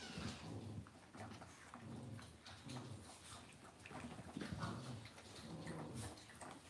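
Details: Cavalier King Charles Spaniel puppies raised indoors in a home puppy pen give soft, low grunting whimpers in short repeated bursts, with a quiet room hum behind.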